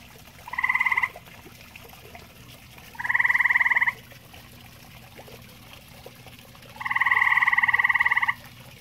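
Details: At a pond also used by common toads, a grey tree frog gives three rattling pulsed trills, the last one longest at well over a second, separated by quiet gaps of two to three seconds.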